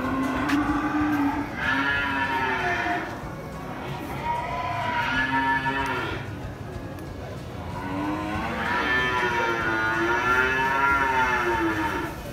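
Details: Cattle lowing at Pasar Muaro Paneh livestock market, West Sumatra, Indonesia: a run of four long, wavering moos, each lasting one to three seconds with short pauses between, over steady crowd and market hubbub.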